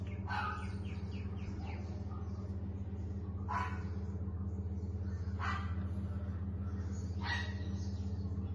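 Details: Three-month-old female Lhasa Apso puppy in Kottayam gives four short, sharp yaps spaced roughly two seconds apart, over a steady low electrical hum.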